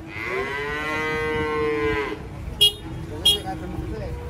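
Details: A cow unloading from a truck gives one sustained, level moo lasting about two seconds, followed by two sharp metallic clanks.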